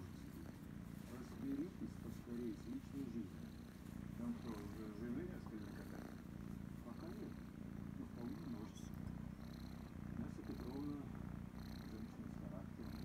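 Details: Purring kitten named Krysa, a little female, being stroked and scratched behind her ear; a continuous deep, vibrating rumble holds steady throughout, with faint hushed murmuring from a woman.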